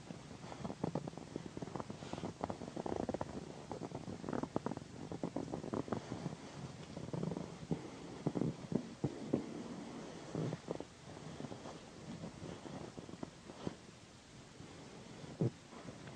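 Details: A pet cat named Pandy, female, purrs while being massaged next to a satin pillow, a low continuous rumble under frequent crackling and rustling of hands moving over fabric.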